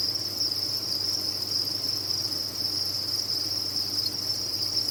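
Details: Crickets kept on a cricket farm fill the air with a continuous high-pitched ringing chirr, the mass of callers blending into one unbroken, slightly pulsing band over a soft low hum.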